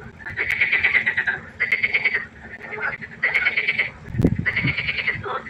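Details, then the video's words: Frogs croaking at night by a pond: rapid pulsed rattling bursts, each about a second long, repeating with short gaps, with several callers overlapping and a brief low thump near the end. "1 Stunde Froschkonzert. Frosch Geräusche quaken."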